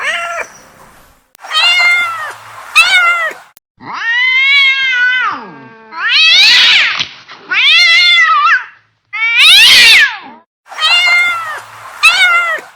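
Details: Mad domestic cat giving loud, repeated angry meows, drawn-out and strongly harmonic, bending up and down in pitch, several with rough, noisy onsets, roughly one every second or two.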